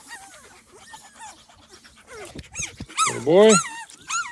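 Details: Small Munsterlander puppies of a 2.5-week-old litter outdoors for the first time, visited by an older litter: thin, high, arching squeaks in quick irregular succession, then a louder, lower drawn-out whine rising and falling near the end.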